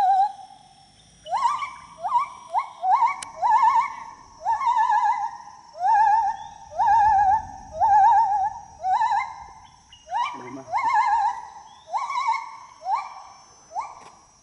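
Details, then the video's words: A gibbon sings loud, rising whooping notes, about once a second in a steady series, while swinging through the trees. "A gibbon singing and flying through the trees"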